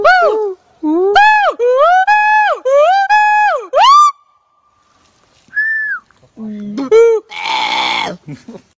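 A gibbon gives loud, clear hooting whoops that rise and fall, repeated about once a second.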